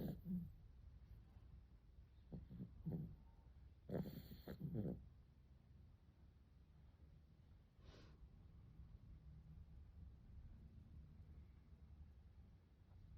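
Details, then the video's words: Arjuk, a dog asleep on its back because of the heat, snoring: low rumbling snorts and rasping breaths come in short bursts through the first five seconds, followed by softer, quieter breathing. "Arjuk the dog has fallen asleep on its back because of the heat and is snoring."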